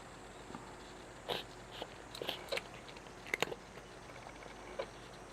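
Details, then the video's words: A cat eating, its chewing heard as a handful of sharp, moist crunches and clicks spaced irregularly over a few seconds, set against a quiet indoor room hiss. "Chewing sound of the cat"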